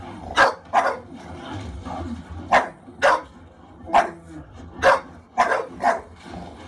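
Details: English Bulldog Khaleesi barks fiercely while watching The Revenant, trying to protect Leonardo DiCaprio from the bear. Eight loud barks, several in quick pairs, punch through the film's background sound.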